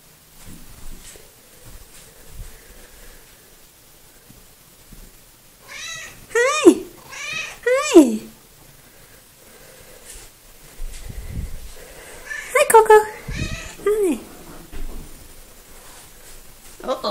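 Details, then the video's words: Talkative little pet cat Coco, recorded indoors on 3 February 2018, gives two groups of descending meows, a pair around the middle and a cluster near the end, separated by quiet room sound and soft human speech. "Conversations with Coco"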